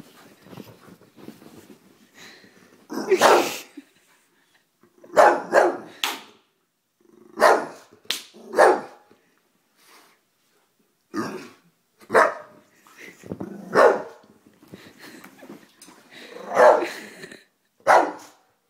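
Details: Harley the Bulldog, afraid of gum chewing, barks at the chewer from a distance: loud single and doubled barks spaced irregularly over the recording, with quieter growly rumbles filling some gaps.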